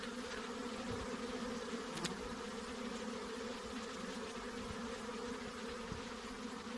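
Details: Honey bee hum, an even continuous drone layered in low bands with wide hissy noise overhead and a short sharp click near two seconds.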